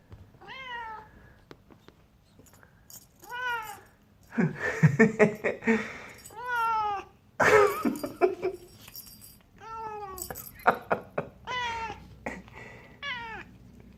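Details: Burmilla kitten indoors uttering hungry sounds while eating a caught fly: repeated descending mewing cries, several in quick succession, alternating with rough chewing and crunching noises, then more falling mews near the end.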